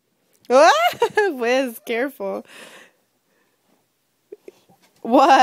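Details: Wiz the husky and Pebbles the chihuahua playing loudly indoors in the morning, a run of wavering, yodel-like howls rising and falling in pitch for about two seconds, a pause, then another loud drawn-out cry.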